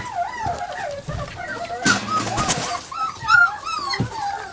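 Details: Puppies Savannah and Jericho at playtime, giving high, wavering whines and yelps that rise and fall in quick strings, with a brief burst of human speech and rustling in the middle.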